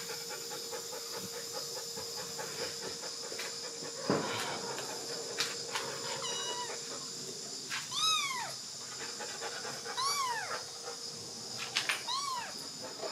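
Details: A month-old kitten, with its mother cat nearby, at a rural house in Dorae village, Korea. Three high, arching meows rise and fall in the second half, spaced about two seconds apart, over a steady electrical hum and faint rustling.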